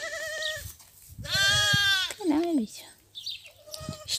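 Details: Rejected goat kids being bottle-fed; a series of bleats: a short one, a long trembling one, a lower bent cry, then a softer bleat, over low background murmur.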